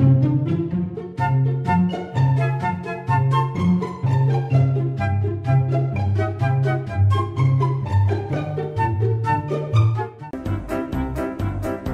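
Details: Bowed string music, cello and violin over a bouncing bass line, with plucked notes and no animal voices at all.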